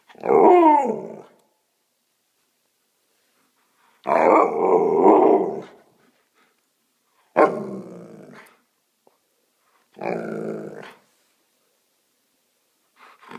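An Alaskan Malamute gives loud, drawn-out, talking howls in separate bursts a few seconds apart.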